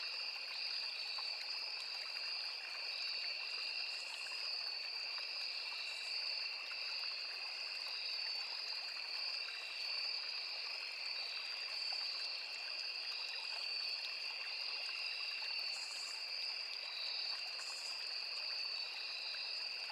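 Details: Forest insects, crickets among cicadas, by a small river. A continuous shrill double-toned trill runs without pause, with faint brief higher buzzes now and then and a constant gentle water rush underneath.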